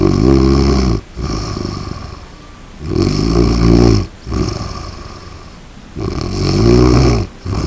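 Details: Sleeping Chihuahua named Skippy, five years old, snoring like a human: deep rattling inhalations roughly every two to three seconds, each a low buzzy rumble separated by brief silent pauses, with softer exhalations between.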